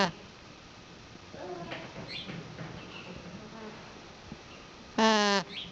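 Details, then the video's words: Female alpaca giving one loud, harmonic, nasal call lasting under half a second near the end, preceded by softer scattered voice-like sounds over low background hiss. "Funny Alpaca Noises"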